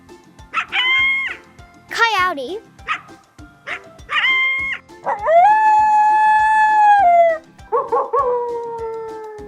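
A coyote gives bursts of high yips, a sliding whine that drops in pitch, then a sustained, even howl that tails off. Short barks break up the calls, and a voice and music are also heard.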